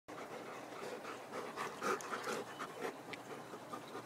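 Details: Pet Labrador retriever chewing on his dog house, breathing in quick rough panting bursts, about four per second, with a steady noisy hiss behind.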